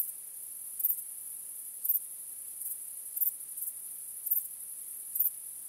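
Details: A cricket chorus at night gives a high, even shrill tone. Stronger chirp bursts recur roughly once a second against quiet surroundings.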